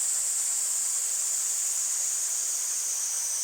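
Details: Cicadas in August beside flowing water: an even, shrill, high drone holds steady throughout over a soft rushing hiss of water.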